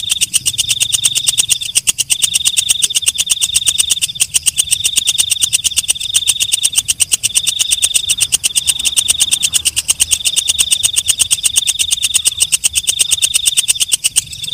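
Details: Walang kecek, a night katydid, calling after dark: a dense, rapid buzzing trill of fast pulses with a steady high ringing tone, breaking into short phrases about every second with brief gaps, continuous and loud throughout.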